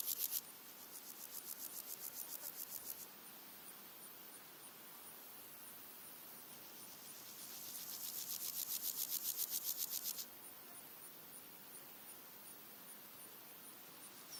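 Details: Red-legged grasshoppers, three individuals singing in daytime in early August: two bursts of dry, rapidly pulsed rasping, each a few seconds long, with other insects, birds and wind in the background.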